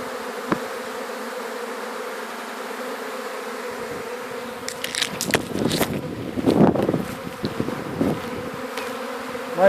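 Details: Honey bee swarm being caught and landing on a hat, described as very gentle bees: a steady low droning hum throughout, overlaid midway by rustling and handling noise.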